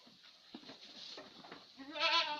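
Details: Little Etawa farm goat in Senduro, Lumajang, Indonesia. Quiet rustling and soft scattered noises, then one loud, wavering, strongly harmonic bleat that begins after a short pause and runs to the end of the clip.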